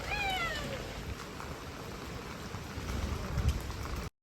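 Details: Stray cat out in heavy rain giving one short, descending meow at the start, then steady rain patter and low rumbling noise fill the rest.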